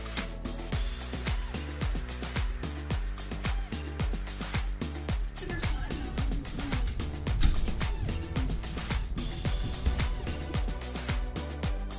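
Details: Upbeat disco-style music with a steady driving beat and faint speech fills the recording, with no animal sounds heard.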